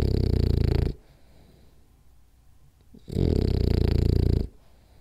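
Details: Napping French Bulldog indoors, snoring hard: two long, low, buzzing snorts a couple of seconds apart with near silence between them.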